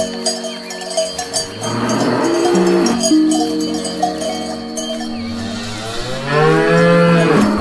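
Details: Cattle eating grass; layered, sustained moos from several animals drift up and down in pitch, with a loud, arched bellow toward the end and constant cowbell jingling.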